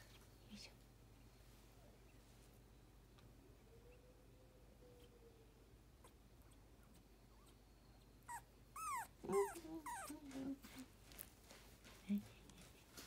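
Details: Puppy, filmed 9 November 2021, giving a quick run of high, rising and falling whimpers and yelps late on, after a long quiet stretch with a faint low hum and a soft drawn-out tone.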